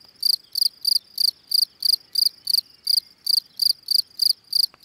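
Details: A field cricket (Gryllus campestris) produces its calling song: regular shrill chirps with ringing overtones, roughly three each second, clear and dominant over faint low noise.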